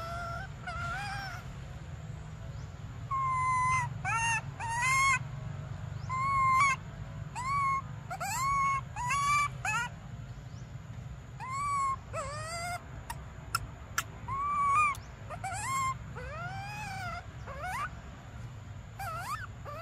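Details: Briar, a baby monkey desperate for milk, gives many short harmonic cries, some arched and some sliding downward, packed closely over twenty seconds with brief pauses and a few sharp clicks. A constant low rumble runs underneath.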